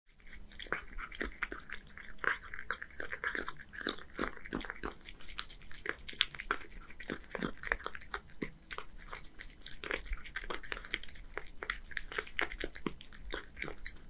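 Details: One-year-old male Scottish Fold cat living in Japan eating canned bonito fish wet food: dense, rapid wet smacking, licking and chewing clicks throughout, with small irregular pauses, close-up in a quiet indoor room.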